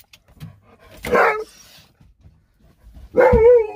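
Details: Sherpa, a pet Alaskan Malamute, at home indoors, giving two short vocal bursts, the second a wavering, falling howl-like moan, with quiet household sounds between.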